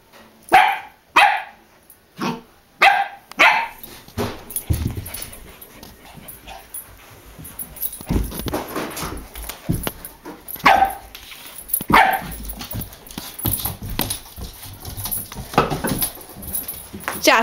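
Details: Ten-week-old Samoyed puppy Jasper playing with his brother Bailey, a Pomeranian/Dachshund cross, gives five sharp, high barks in quick succession. Scuffling follows, with two more yips later and a person calling the puppy.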